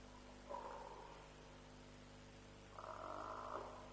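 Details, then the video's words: Night recording at Djuma, near 3:00 am on 07/03/07, beside a lions' kill: African buffalo with one short hoarse grunt, then a longer, raspy, drawn-out bawl, over a steady background hum. "Buffalo Sounds - Lions' Kill"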